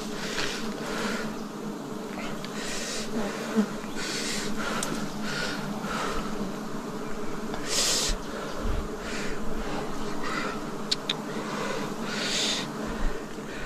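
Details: Swarm of wild bees at a forest honey harvest, 2026: a dense, continuous buzzing drone with layered humming tones, broken by repeated short hissing swishes and one brief low thump near the middle.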